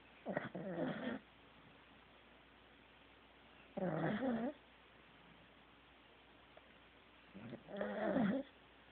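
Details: Corgi Teddy sleeps and snores steadily, three rumbling wheezy breaths about every four seconds, each buzzy and broad with wavering nasal tones, in a quiet room.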